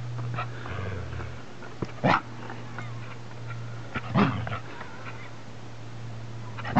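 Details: Belgian Malinois, also called Belgian Shepherd dog, playing with a stick; two short, sharp barks about two seconds apart over a steady low hum.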